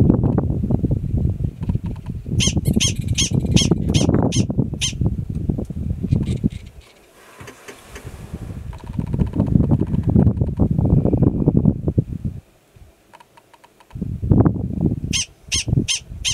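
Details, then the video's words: Yearling male Gunnison's prairie dog alarm calling in Valles Caldera National Preserve, New Mexico, in April: bursts of sharp, harmonically rich chirps in quick series, broken by pauses, over heavy low rumbling wind. "Prairie Dog Alarm Call"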